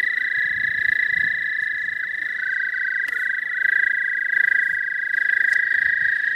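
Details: Springtime calling in southern Missouri, thought to be an American toad: a continuous, even, high musical trill sustained through the whole stretch, with faint overlapping trills and a few soft clicks in the background.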